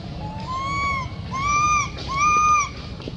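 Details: Baby monkey in Cambodia voicing its sorrows: three long plaintive whistled cries, each gently arched in pitch and lasting about half a second, repeated in close succession over a low background rumble.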